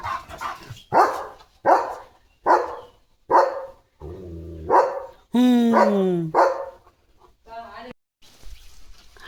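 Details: Leo, a German Shepherd dog, at home during Diwali with rangoli and a lantern in the yard: a run of sharp barks repeated about every 0.8 seconds, broken midway by a longer falling harmonic tone, with a person talking nearby.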